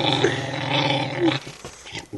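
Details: Indoor pet dog, female, growling possessively over her bone; a sustained, deep, rumbling snarl that holds steady before cutting off into quieter room sounds.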